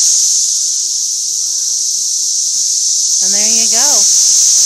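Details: Constant shrill whine of a cicada invasion over a Tennessee parking lot, the high droning chorus unbroken while a brief human voice cuts in near the end.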